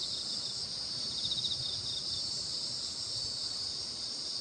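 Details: Insects singing together under the Baekjung full moon in Korea; continuous high, shimmering drone, joined early by a brief pulsed trill.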